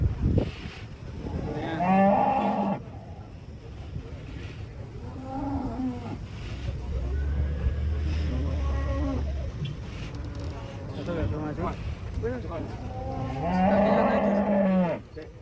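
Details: Cattle mooing while being loaded onto a truck in Indonesia: long, loud, hoarse bellows at the start and end with a softer one between, over low vehicle rumble and a brief voice.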